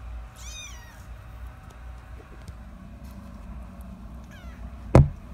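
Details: Tiny rescue kittens, eyes just opened, fostered indoors: one thin high mewing squeak sliding downward near the start, a fainter mew later, then a sharp knock; low steady hum underneath.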